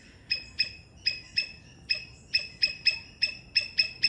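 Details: A Sri Lankan three-striped palm squirrel gives sharp, high chirps in a steady series, several each second.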